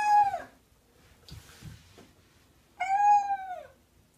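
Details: House cat meowing twice, a short falling meow and then a longer, steadier one about three seconds later, with soft rustling and handling noises in between.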